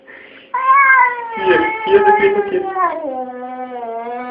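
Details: Domestic cat, one of two talking cats, giving a long drawn-out vocal meow with wavering, speech-like inflection that rises then slides down and trails off in a lower tone.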